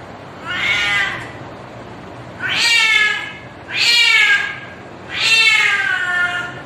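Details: Cat giving mating calls to attract a mate: four long, drawn-out, harmonic meows, each about a second, starting nasal and wavering downward, spaced one to two seconds apart in a quiet room.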